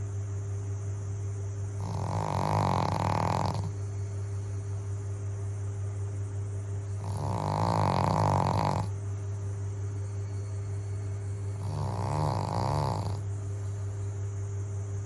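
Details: Pug snoring while asleep, three long rasping snores about every five seconds, each a broad rough rumble with a steady low hum running beneath throughout.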